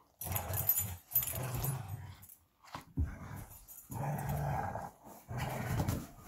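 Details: Belgian Malinois Bullet and Apollo tugging on a favorite toy give low, throaty growls. The growls last about a second each and come in uneven bursts, with short quiet gaps and some rustling.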